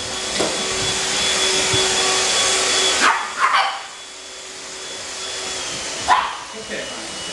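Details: Two Pug puppies, Otis and Gucci, bark as their mother Gracie gets vacuumed with a handheld cleaner. A steady motor whine fills the first three seconds, then it stops, and a couple of quick yaps follow with another a few seconds later.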